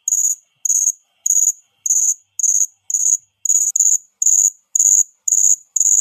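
A cricket gives steady, high-pitched chirps, each a short buzzy burst repeated about twice a second.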